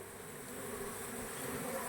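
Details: Honey bees at a bee box during honey harvesting, a steady low droning hum with a faint hiss above it, unbroken for the whole two seconds.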